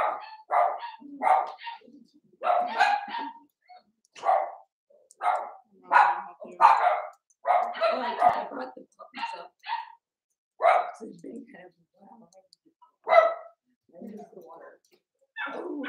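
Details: Overnight puppy cam on 8/27 of Cavalier King Charles Spaniel puppies Cooper, Conner and Jenny, Ruby and Blenheim coats, born 06/09/2022. Many short, sharp yips and barks come in irregular bursts over about sixteen seconds, with brief quiet gaps between.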